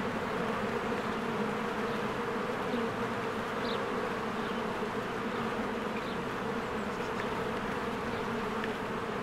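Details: Swarms of honeybees working at a cozy hive in spring, producing an unbroken layered drone of overlapping wingbeats, with a few brief thin bird notes rising over the steady hum.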